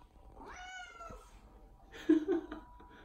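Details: Odeko, a pet cat, meowing while being affectionate: one drawn-out, slightly falling meow, followed by short bumps and handling noises indoors.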